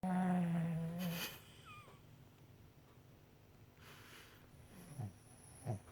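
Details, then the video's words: A Shih Tzu snores loudly with a low, droning groan, then soft snuffling snorts. "Blue the shih tzu snoring"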